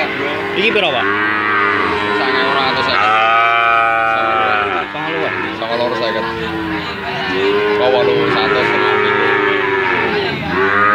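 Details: A young calf gives a series of repeated, arching moos. They are rich and nasal, rising then falling, and follow one another closely with some background voices.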